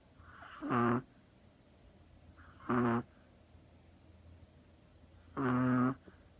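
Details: Chihuahua sleeping deeply on a person's lap, curled like a cat, snoring. Three short harmonic snorts about two seconds apart, the last one longer, over a faint steady background hum.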